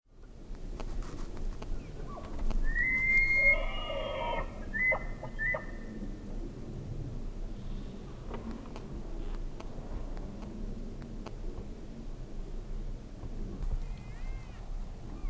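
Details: A wapiti (elk) in Colorado bugles: a high, pure whistle held briefly, then a second shorter whistled note.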